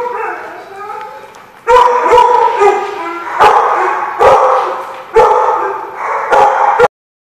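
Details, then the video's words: Loud, harsh dog barks come in a rapid irregular series of about seven, each sharp and ringing, after a softer whining opening, then sudden silence at the end. "The Barking Lot"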